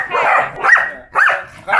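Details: A 2.5-year-old Pembroke Welsh Corgi that barks at everything (household members, cars, people) gives sharp, rising-and-falling barks, one roughly every half second.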